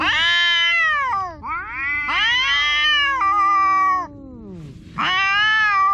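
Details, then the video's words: Noisy domestic cat giving three loud, wailing meows in quick succession, each starting high and bending downward, with a softer low whine between calls. "The cat is making a big noise"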